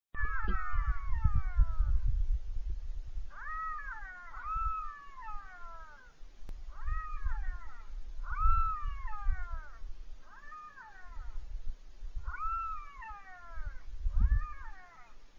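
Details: Jackals close by a camp in the Kalahari, Botswana, at night in June/July 2013 give a series of high, wailing cries, each sliding downward, repeated every second or two.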